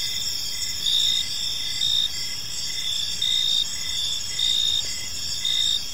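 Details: Evening cricket chorus in a park: steady high-pitched ringing chirps layered at several pitches, with slightly louder pulses rising about every second over a quiet low rumble.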